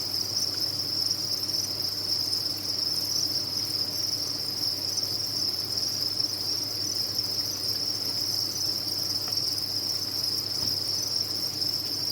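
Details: Massed farm crickets, offered as tinnitus therapy, keep up a constant piercing chirp chorus at one unchanging high pitch, with a soft low hum and an occasional tiny tick underneath.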